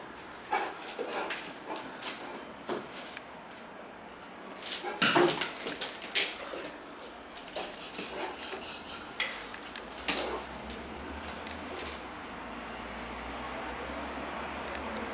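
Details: Great Dane named Cartier Bresson playing in an apartment in Sao Paulo in August 2014; a few short, sharp barks and clattering bursts cluster near the middle, with quiet indoor room noise between them.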